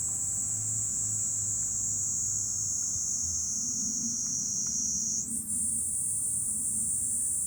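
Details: Cicadas singing in July from a hilltop overlooking Fukuoka city, Japan: a steady, dense, high-pitched shrill drone that holds throughout, briefly dipping and shifting pitch slightly near the end, over a faint low rumble.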